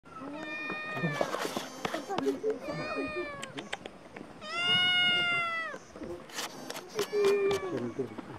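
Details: A black cat in a village, talking to a person on 1 October 2023; several long, loud, harmonic meows, some rising then falling, answered between by human voice and background noise.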